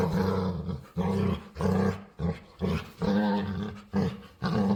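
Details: Pet dog begging its owner to play, producing odd vocal noises: about six throaty, groaning moans in quick succession, each about half a second long and separated by brief breaks.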